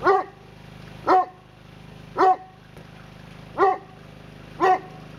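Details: Newfoundland dog, a male, excitedly barking: five strong, low, harmonic woofs repeated about once a second over a faint steady hum.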